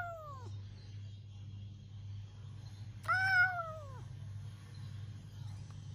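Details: A pet cat in a squabble with its owner: the tail of one falling meow, then a loud drawn-out meow that slides downward over about a second, with a steady low hum underneath.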